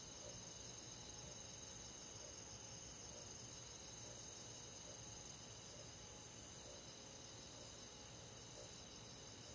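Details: Countryside crickets and forest insects calling through a summer night: dense high trilling chirps repeated roughly three times a second, overlapping into a continuous shimmering wall of sound.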